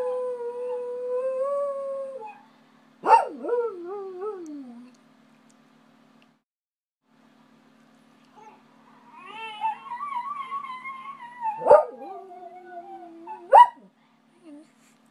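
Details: Jack Russell Terrier at home, reacting while watching videos on a screen; wavering, drawn-out whining howls rising and bending in pitch, two long bouts separated by a few seconds of quiet, with short sharp yips between.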